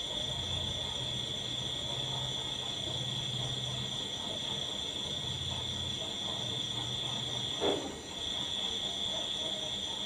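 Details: Constant shrill trilling of crickets holding one high note throughout, with low murmuring background noise and a brief sharp knock near the end.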